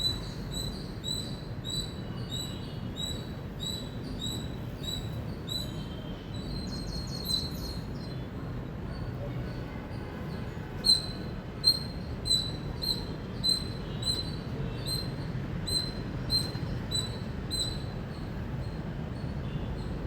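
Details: Indian squirrel giving loud, high, sharp chirps in irregular runs, a few louder notes near the middle, over a steady low rumbling background.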